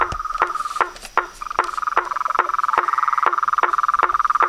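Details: Toads, frogs and treefrogs calling at nightfall around a pond beside a house. Spaced, hollow knocking notes repeat about every 0.4 seconds over a continuous, fast, buzzy trill that swells in the second half.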